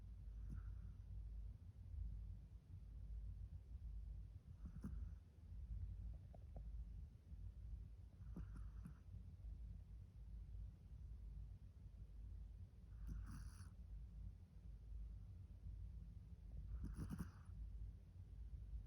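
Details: Min Saetbyeol, a sleeping Pomeranian, snores with faint rhythmic breathy snorts roughly every four seconds, some slightly louder than others, over a constant low hum.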